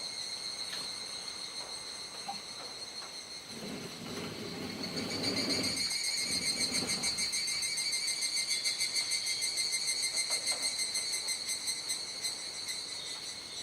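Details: Cicada chorus at dusk, 19:11–19:25 on 17 July during the rainy season, Kuji, Iwate Prefecture, Japan: dense high-pitched buzzing with pulsing swells that grow louder midway, over a faint low rumble in the background.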